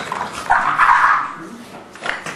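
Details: A brief, drawn-out growl from an English Bulldog or Forest, a three-month-old English Mastiff pup, during play, with one swelling, rough sound followed by a short snort.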